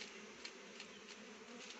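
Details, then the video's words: Continuous honey bee hum around rhododendron flowers as the bees take nectar for honey, steady buzzing broken by a few brief faint clicks. "मौरी bee honey गुराँसको फूलको रस बाट मौरीले मह बनाउँछ"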